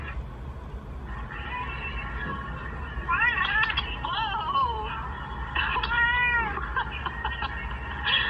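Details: Angry pet cat watching videos of other cats, giving a run of drawn-out wavering meows and yowls with bending pitch, some overlapping, over a steady background hum and a faint voice.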